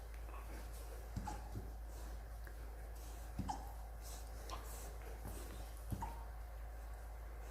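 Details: Rottweiler. A Rottweiler puppy has the hiccups, each one a brief, soft, gulping click. They come unevenly, a couple of seconds apart, sometimes in quick pairs, against a faint indoor hum.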